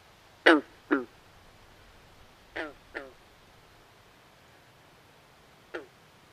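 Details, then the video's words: Frogs at night by a swamp give rasping, duck-like croaks, first a pair, then another pair about two seconds later, and a single softer croak near the end, with long quiet gaps between. "Natural Ambient Sounds Of Frogs At Night"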